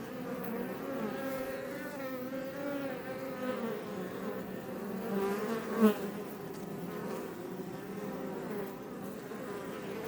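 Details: Swarm-like hum of honey bees, Apis mellifera iberica, outside a Langstroth hive close to Els Ports National Park, Catalonia, Spain; thick layered buzzing with rising and falling whines, one brief louder pass near the middle.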